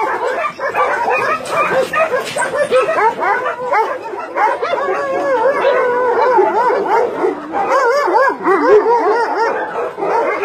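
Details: Caged dogs at a Nonsan, South Korea meat farm and puppy mill, January 2017, about 150 dogs of breeds like Doberman and Golden Retriever; dense overlapping barks with rising and falling whining yelps throughout.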